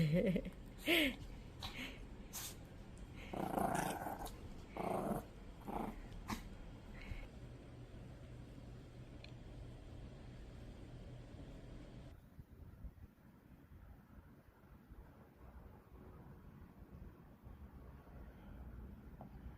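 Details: Small Maltese dog receiving a doll gift set as a present, growling in short rough bursts over the first seven seconds while playing, then near silence with faint room noise.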